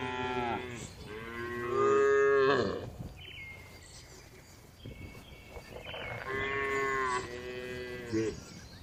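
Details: Dozens of calm, tame cattle resting in a spacious farm barn give long, deep moos with rich harmonics, separated by quieter barn noises.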